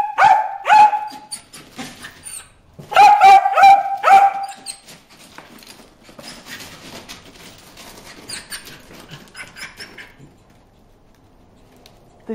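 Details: Bruce, a pet dog, barking at fish in a water hole; loud bursts of sharp, tonal barks in quick clusters during the first five seconds, then softer scuffling, splashing and whining.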